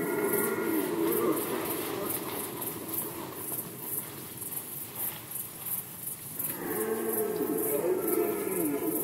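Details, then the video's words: Red deer in Poland during the 2020 rut: a loud harmonic bellow at the start, a quieter rumbling stretch, then another strong, wavering roar from about six seconds onward, with background hiss. "Rykowisko jeleni, Rut season of Red Deer"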